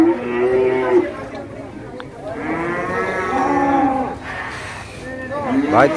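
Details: Cattle at the Masbagik livestock market in NTB, described as wild and raging, giving drawn-out, rich, harmonic bellows that rise and fall. Overlapping animals and market background noise are present.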